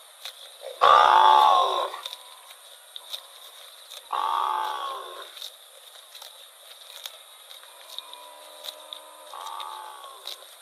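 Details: Among rural rice fields, a wandering cow lets out a strong, harmonic moo of about a second, a second softer moo a few seconds later, and a faint, short call near the end.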